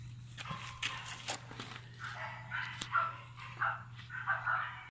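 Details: Chihuahua puppies, male and female, born July 2018: a run of short, high yips and squeaky whines in quick succession over a low steady hum, with scattered knocks.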